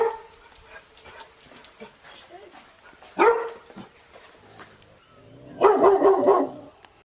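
A Labrador Retriever barks once sharply, then after a pause lets out a rough run of loud, harsh barks. Quieter background sounds, possibly faint voices, fill the gaps between the barks.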